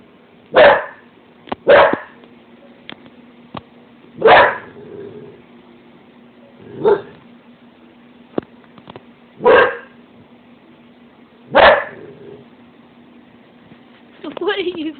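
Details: Pet dog Zelda barks at her reflection in a stove inside the house, sharp separate woofs every two or so seconds, six or seven in all, over a faint steady hum.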